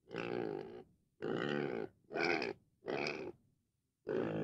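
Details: Domestic pig giving four drawn-out, harsh, rasping grunts, each lasting under a second with short pauses between. A fifth grunt starts at the very end. The background is otherwise quiet.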